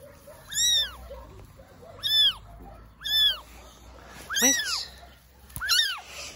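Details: Rescued abandoned baby kitten found wet in the grass beside a dog shelter on a rainy day, giving five clear, high, arching meows spaced about a second or more apart, with a soft woman's voice nearby.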